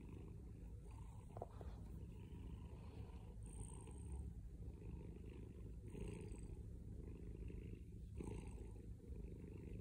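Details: A loud, close purr from a male pet cat: a dense, steady low throbbing rumble that rises and falls with his breathing roughly every two seconds, with faint soft breathy hiss on top.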